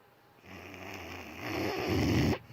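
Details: A sleeping dog snores indoors: one long, rough, low rumbling breath that builds over about two seconds, then stops abruptly.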